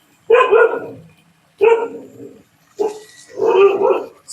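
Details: Dogs at a dog farm kennel give four loud, hoarse barks, each a short harsh burst with a trailing tail, spaced about a second apart, in a quiet indoor setting.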